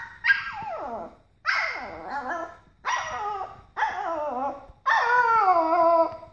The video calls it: Papillon Puppy Howling like a Baby Wolf!